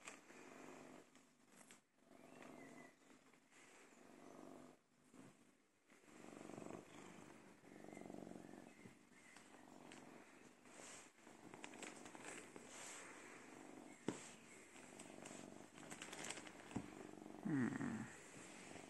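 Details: Steady low purring from an old pet cat around a bed, rumbling on and off in soft waves. Rustling and light bumps from movement break in, with a brief sharper squeak near the end.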